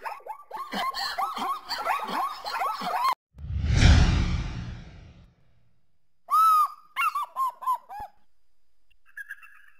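A zebra gives rapid, honking barks in a quick yelping series, then a low, rough snort-like rush, and a few more short barks.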